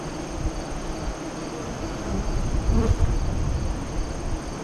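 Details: Steady droning of honey bees at a west-facing hive entrance near Lyons, Nebraska, recorded through the 2017 eclipse in the afternoon. Overlapping wingbeats form a low murmur that swells to a denser buzz around the middle.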